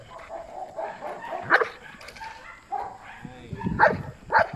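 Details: Belgian Malinois named Asyong during bite work training, barking in a few sharp, loud bursts spread over several seconds, with human voices talking in between and underneath.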